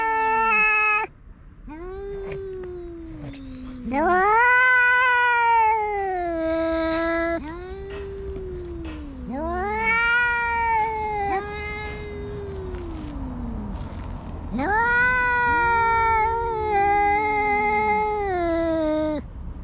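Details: Saba-shiro cat driving an orange tabby intruder from its territory, two cats trading overlapping moaning howls, each swelling then sagging in pitch, in continuous waves across the whole stretch.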